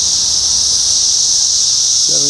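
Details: Periodical cicadas of the 17-year Brood X emergence, June 4, 2021, Sharonville, Ohio: a steady, dense, high-pitched droning chorus that never breaks, with a brief human voice at the very end.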